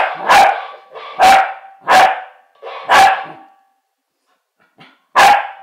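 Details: Corgi conversing with a mechanical parrot: four loud barks roughly every three quarters of a second, a pause with a faint short sound, then one more bark.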